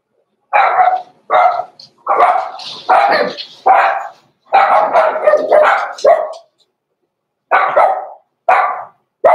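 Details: Blenheim Cavalier King Charles Spaniel puppies, Roman and Blue, from a litter born November 14, 2022, in a home puppy pen at Christmas. A run of sharp, yappy barks, roughly a dozen in nine seconds, with a short pause before the last few.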